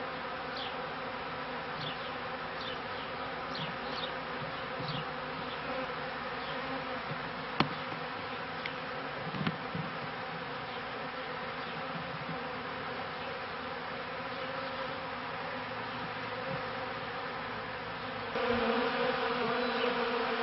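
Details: Continuous droning of beekeeping honey bees, 1995–96 season: a thick harmonic hum holding steady, with a few sharp clicks around the middle and a louder, fuller surge of buzzing near the end.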